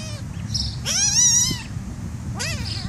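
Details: Black kitten being tickled, letting out a long wavering high meow, then a shorter rising one, over a steady low background hum.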